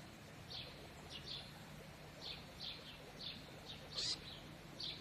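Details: A baby stone marten (Martes foina) in captivity gives thin, high squeaks in short, irregular bursts.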